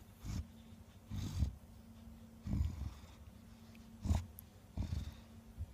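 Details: Thirteen-year-old female bulldog sleeping and snoring loudly: deep, rumbling snorts repeat roughly every second or so, with six rough bursts and a faint steady hum underneath.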